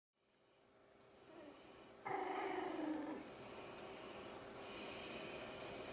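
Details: Cavalier King Charles Spaniel puppies about three weeks old practising their first growls; soft, squeaky, cooing little rumbles with a brief tonal whine near the middle, far from menacing, over quiet breathy background.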